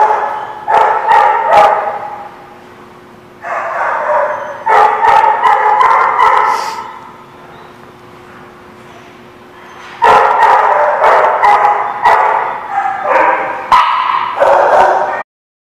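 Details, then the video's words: Barking dog at The Barking Lot, 27 October 2017: clusters of sharp, rapid barks separated by quieter gaps, with a low steady hum underneath, then a final burst of barking before it cuts off. "The Barking Lot"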